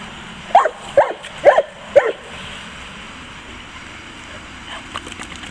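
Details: Playful St. Bernard Zeus gives four quick mid-pitched barks, roughly every half second, then the barking stops, leaving faint background rumble and a few soft clicks.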